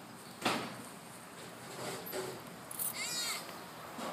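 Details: Exercising baby sloth at playtime gives a brief high, wavering squeak in the middle, among soft thumps and rustling handling noises.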